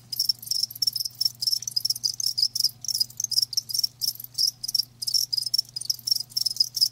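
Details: Live crickets chirping close and loud, sharp high pulsed bursts repeated roughly twice a second in a regular rhythm, over a faint low hum.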